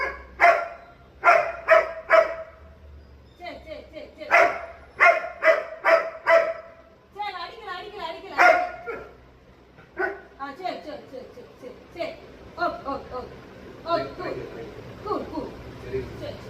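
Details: German Shepherd dog barking in bursts of three to four harsh, loud barks, followed by a busier stretch of softer, overlapping yaps and other sounds.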